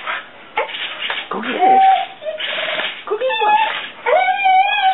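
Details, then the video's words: Fur-Ball, a female Soft Coated Wheaten Terrier, excitedly chasing a flying hornet toy, gives high, drawn-out whistling whines and yelps, some rising, over rustling and a human voice. "Soft Coated Wheaten Terrier goes crazy for flying toy"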